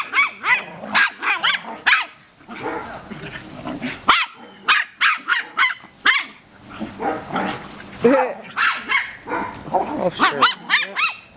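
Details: A female dog barks at a tortoise in its pen on her first day at a new home and their first meeting. Sharp, harmonic barks come in quick bursts throughout, mixed with a woman's urging voice.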